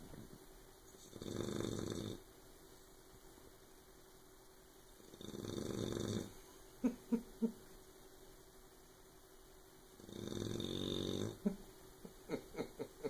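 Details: A puppy named Oberon sleeps and snores loudly enough to keep Tyson awake: three hoarse, rumbling snores, each about a second long, come roughly every four to five seconds, with faint sharp clicks between them.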